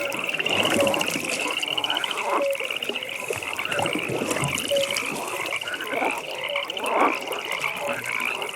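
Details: Pond frogs in a nighttime chorus: rapid pulsing trills overlap at a high pitch for the whole stretch, interspersed with occasional short low croaks over steady soft ambience.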